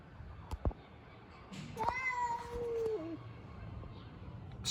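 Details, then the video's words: Street cats fighting: one drawn-out harmonic yowl that holds steady, then slides lower and trails off, set against low background rumble and a few faint knocks. "These Cats fight by making funny sounds."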